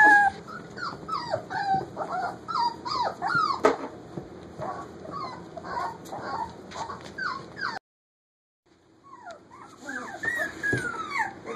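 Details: Almost four-week-old puppies at play in a kitchen, giving a dense stream of high squealing whimpers and yips, falling and rising slides overlapping, a brief silence near the end before the whining resumes.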